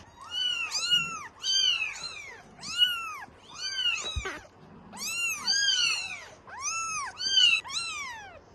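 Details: Clamouring Norwegian Forest Cat kittens calling for milk at a cattery, producing dense, overlapping high-pitched meows in quick succession, each call arching up and down, nearly continuous, with a brief knock partway through.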